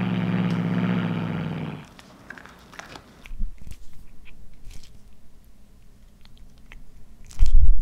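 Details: A deep, rough growl from Anzu, a female tortoiseshell Munchkin aged one, lasts nearly two seconds as she chews heated corn, then fades into scattered crunches, clicks and a loud bite at the end.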